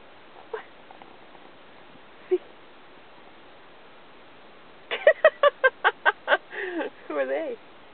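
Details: Australian Cattle Dog named Robbie, being taught to speak on command, lets out a quick run of about eight sharp barks and then a warbling, wavering whine after quiet coaxing.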